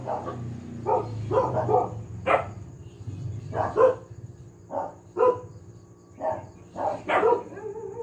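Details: Noisy family dog barking in a steady series of about eleven short, punchy barks roughly every half second to second, over low rumbling hum.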